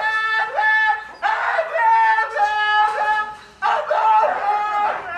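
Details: Siberian Husky being dramatic, producing loud, yodel-like sustained howls with bending pitch in three sweeping phrases, each swelling and breaking, as a person asks if it wants to go out and play.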